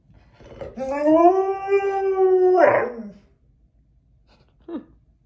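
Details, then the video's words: Domestic dog howling in response to a siren: one sustained, steady howl of about two seconds with rich harmonics, ending in a short rough break, then a brief faint whimper after a pause. "Wait for the siren 🚨 it’s worth it!"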